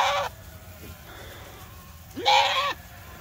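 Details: Goats from a farm herd stampeding across an open field to new grazing pasture; two loud, harsh, wavering bleats, the second rising then falling, separated by a quieter gap.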